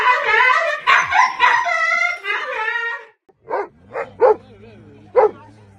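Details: Pet dog in a funny compilation: a drawn-out harmonic whining voice for three seconds, then four short sharp barks spaced irregularly after a brief pause, with a faint low hum underneath.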